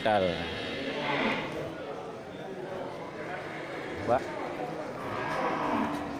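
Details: Large local cattle, including a Simmental, at the Geurugok livestock market on 29 March 2022 before Ramadan; drawn-out low moos rise and fall, with market bustle, voices and music underneath.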